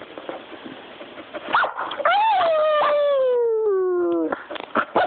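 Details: A puppy gives a few short yips, then one long, drawn-out whine that starts high and slides steadily downward for about two seconds before breaking off into more short yelps.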